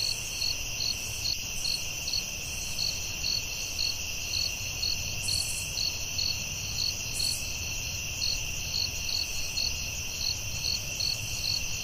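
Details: Crickets singing in a forest after dark: shrill sustained ringing plus regularly repeated short chirps, with a couple of brief higher buzzy bursts in the middle, gentle background noise.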